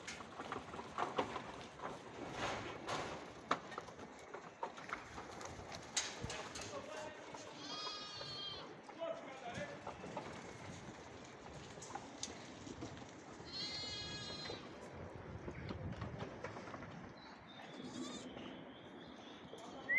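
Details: Two tremulous, vibrato bleats from goat kids on rocks in Greece stand out midway through a stretch of scuffing, footsteps and handling noise, with a faint high squeak near the end.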